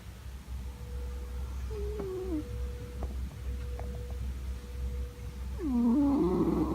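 A sleeping Scottish Fold cat gives a deep, continuous rumbling snore that rises and falls with each breath. Near the end comes a louder, rougher exhalation, and a faint steady hum sits in the background.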